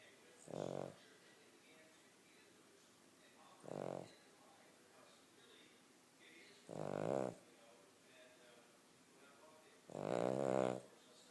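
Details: Cavalier King Charles Spaniel snoring while asleep: four harsh, buzzy snores spaced about three seconds apart, with quiet breathing between them.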